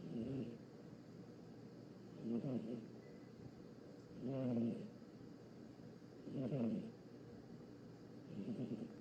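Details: A sleeping cat snoring: soft, rough breathy snores repeating about every two seconds, each a low rasping swell, over faint steady background hiss.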